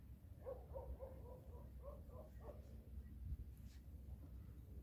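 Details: Orange house cat in a funny cat compilation making a quick run of short, mid-pitched mews, about eight in two and a half seconds, then falling quiet against low room noise.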